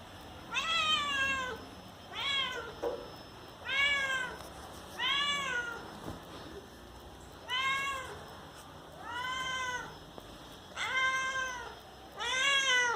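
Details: Domestic cat meowing to have a door opened, indoors: eight loud, drawn-out harmonic meows, each arching up then falling, spaced roughly every one to two seconds with short quiet gaps between.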